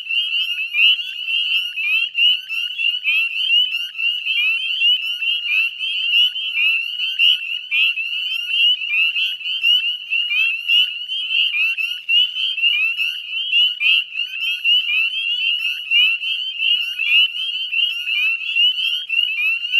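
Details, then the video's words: Northern spring peepers in full spring chorus on the Chezzetcook wetlands, Nova Scotia, Canada, 18 May 2020 at dusk: a relentless mass of high, bright, upward-sliding peeps, uniform and dense, loudness fluttering as calls overlap. "Northern Spring Peeper Chorus"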